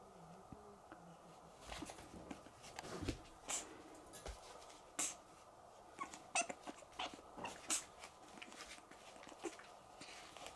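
A pug puppy gives short, soft whimpering and yelping sounds at irregular intervals.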